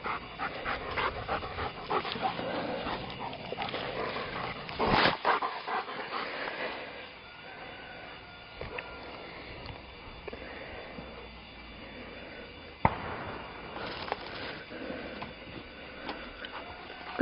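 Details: Brown, a two-year-old pound mutt eager for more frisbee throws, breathes in rapid, irregular pants; a dense burst near five seconds, then quieter breathing with a sharp click around thirteen seconds.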